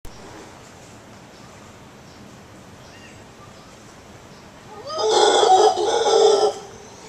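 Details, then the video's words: Howler monkey answering a person indoors, described as a frightening sound to wake up to: after quiet, a loud rough roaring howl bursts in for about a second and a half, harsh and broad, then fades. "Talking with a howler monkey"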